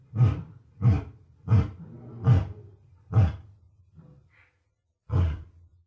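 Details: West African lion giving a series of short, very deep grunting roars, six punchy bursts roughly every half to one second, with a brief pause before the last.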